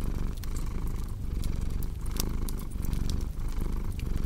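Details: Short stretch of a cat's steady purr with fireplace crackling for relaxation: a low throbbing rumble with audible inhale and exhale phases about every half second, plus a few loud pops from the fire.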